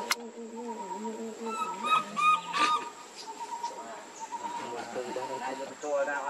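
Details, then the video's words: Baby monkey Lucie cries pitifully for milk, a run of three or four piercing whistled wails with layered overtones in the opening half, then softer wavering moans and low murmuring voices beneath a steady electronic whine. "Lucie Very Pitiful Need Milk Crying"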